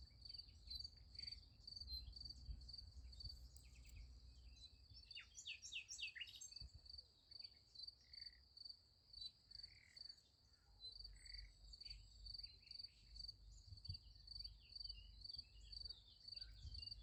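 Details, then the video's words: Night crickets by a sunflower field keep up a continuous high, rapidly pulsed chirping. Scattered bird-like chirps and short trills join it, over a low background hum. "Nice Sunflower Field with Crickets Sound Effect"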